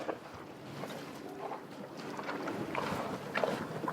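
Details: Horned cows and calves grazing on a farm, munching grass with soft irregular crunching and tearing sounds against light wind.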